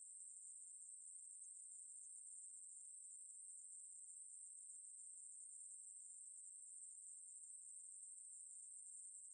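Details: Ruspolia katydid song from 2020: one continuous, very high-pitched buzz that holds perfectly steady in pitch and loudness for the whole stretch, with no breaks or pulses. No other sounds.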